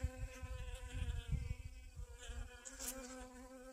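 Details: Honey bees on a garden sunflower collecting pollen, 25 August 2021; a droning harmonic buzz sits over loud low-frequency rumbling and handling bumps.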